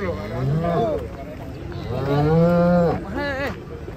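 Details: A giant cow lows twice: a short rising moo, then a longer, steady, drawn-out moo ending in a falling tail, with faint music behind.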